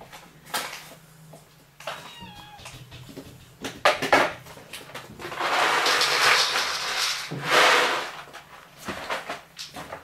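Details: Cats at Dove Cat Rescue sanctuary waiting to be rehomed, indoors; a few faint, thin meows around the two-second mark, then long bursts of rustling and clattering noise.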